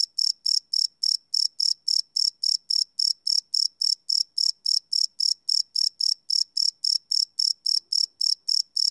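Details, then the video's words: Night-time cricket, captured live without loops on a Sony PCM D100: shrill, even chirps in a quick regular train, roughly 220 per minute, each pulse short and ringing high, nothing else audible. "Cricket Chirp Sound - Cricket Sounds at Night"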